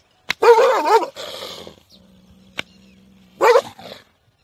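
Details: Dog barking: a loud, harmonic bark with a wavering pitch, a softer rough follow-up, a quiet low hum, then a second short bark near the end.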